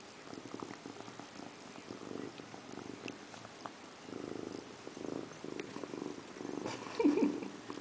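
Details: Domestic cat named Indiana Piano Rabbit, sitting in a bathroom sink and taking a bath indoors; soft, low rhythmic pulses swell about once per second, growing slightly louder toward the end, with faint rustling behind.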